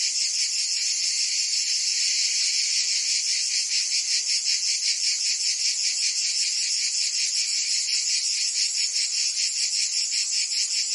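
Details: Provençal cicadas in full summer song, France: an unbroken, piercing buzz throbbing quickly and somewhat irregularly, about two and a half beats per second. The level stays steady and the background is otherwise quiet.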